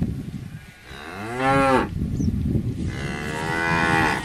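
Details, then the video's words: Cow calls twice: a rising, arching moo that swells and breaks off, then after a short pause a second long, even, tonal moo holding steady to the end. "Âm thanh con bò || Sound and picture of the Cows"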